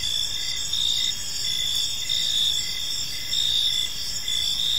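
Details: Evening cricket chorus in a quiet park: shrill continuous trilling layered with rhythmic chirp bursts that rise and fall about every second, several insects calling together and nothing else clearly heard.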